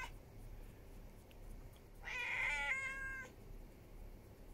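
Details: Stray ginger cat arriving at a house on a July 2021 evening, making demands: a single short, bright meow against a quiet background hiss.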